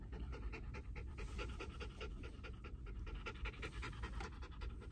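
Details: A Mameshiba scared of riding in the car and unable to settle pants rapidly and steadily throughout, a fast even train of breathy huffs over a continuous deep car-engine rumble.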